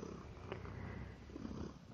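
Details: Brief low purr from a male house cat eating indoors, a dense buzzing rumble with a faint tick partway through.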